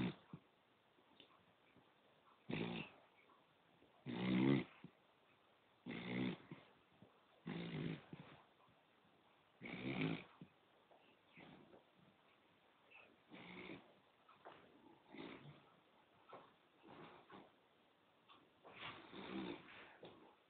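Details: Snoring poodle, sleeping: a steady series of raspy, buzzing snores repeats roughly every one and a half to two and a half seconds over twenty seconds, with the loudest near the start and faint breaths in between.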